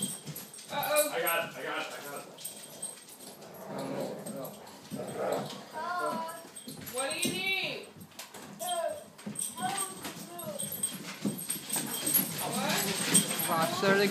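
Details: Two Great Dane puppies, two labs and a pug playing together indoors on a snowy day: repeated whiny, arching yelps and whimpers in short bursts, mixed with frequent human talking in a small room.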